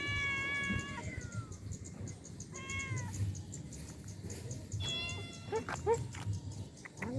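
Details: Stray cats living on the road on an island, being given food: three clear, drawn-out meows, each sliding downward, spaced about two seconds apart, over steady low background noise and a few clicks.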